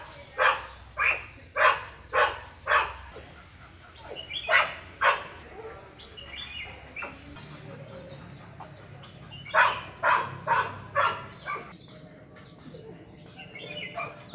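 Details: Labrador Retriever giving bursts of short sharp barks, five quick ones, then a pair, a quieter gap with faint other sounds, then another rapid run of about five barks.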